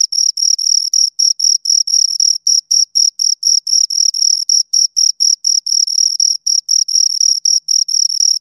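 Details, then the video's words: Two crickets chirping continuously: high, pure trilled pulses repeated about four times a second in short bursts, with a fainter higher overtone, against an otherwise silent background. "Two Crickets Chirp Sounds"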